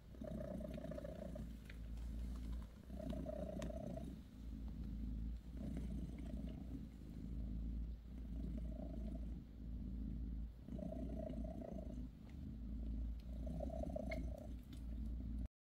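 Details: Bassy, a mother cat with her kittens, purrs during a massage session; a long, steady, low purr pulsing with her breathing, in roughly seven inhale-exhale cycles.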